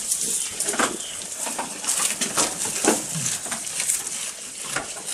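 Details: Close-up munching of a goat while it feeds: uneven crisp crunches and rustles in quick bursts, some louder snaps, against a continuous airy background hiss.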